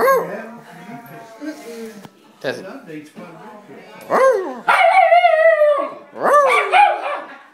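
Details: An excited pet dog starts with soft, low whines, then gives rising-and-falling yelps and one sustained wavering howl that drops slowly in pitch. A person speaks quietly near the start.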